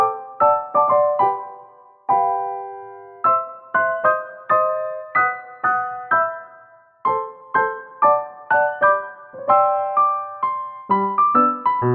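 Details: Gentle solo piano music plays as a melody of separate notes and chords, with no animal voices heard.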